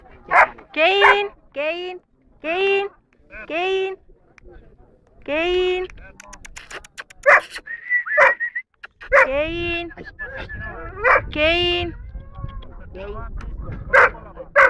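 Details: Junior Dobermann at a national breed show in Rome, Italy, 21 March 2010, where it placed third: a series of strong, resonant barks in uneven bursts, with a thin tonal whistle-like sound, handler speech and crowd noise behind.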